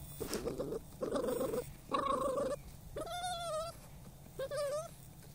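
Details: Three rough, breathy snuffling bursts come from Spyke the dog while hunting moles, followed by two high, wavering whines that rise and then level off, each under a second long.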